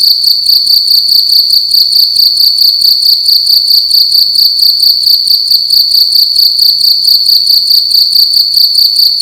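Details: A cricket calling loudly at night inside a room: a steady, high-pitched pulsing trill, about two chirps per second, continuing without pause, with harmonics ringing above and no other clear sounds.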